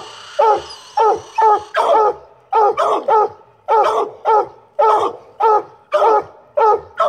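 A Treeing Walker Coonhound gives loud, repeated chopping barks in a steady run, roughly one per second.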